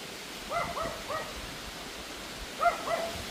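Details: Pomeranian dog barking at a wind storm in the evening; loud yappy barks in two bursts, three quick yaps then two more after a pause, over steady wind noise.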